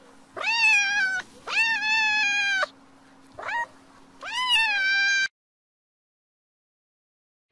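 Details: Cat giving four clear meows with rich overtones. Three are long and held, one is short and rising. The calls come in quick succession and are followed by near silence.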